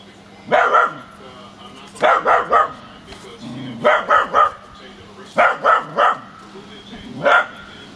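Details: Smooth fox terrier barking at a plastic bag blown around by the wind: sharp barks mostly in quick bursts of three, about a second and a half apart, with single barks at the start and end, over a faint steady hum.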